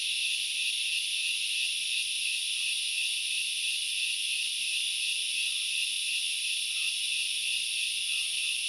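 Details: Grasshopper chorus from the forest of Knuckles Reserve, Central Highlands, Sri Lanka: constant bright, sizzling high-pitched buzzing in stacked layers, with scattered faint soft chirps below and an unchanging overall level.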